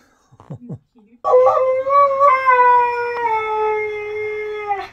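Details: Husky producing a sustained, steady howl lasting nearly four seconds with a slight early warble then a long level tone, preceded by a few short whines and soft grunts.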